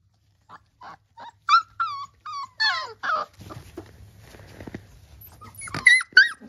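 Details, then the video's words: Three-week-old Labrador Retriever puppies giving short high whimpers and yelps, several descending squeals in quick succession, then a stretch of rustling and low grumbling before two more sharp squeaks. "3 weeks Labrador Puppies"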